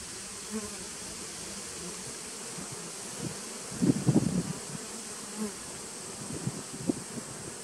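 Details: Honey bees of a 2017 nucleus colony, 19 September 2018: a low continuous hive drone, broken near the middle by a cluster of louder, rough buzzy pulses lasting about half a second, then a few softer single buzzes.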